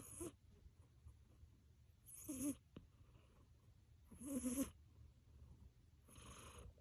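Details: Achilles, a pet cat in deep sleep after a hard day of play, snoring loudly enough to sound like roaring: breathy, rasping snores with a low rumble, repeated about every two seconds.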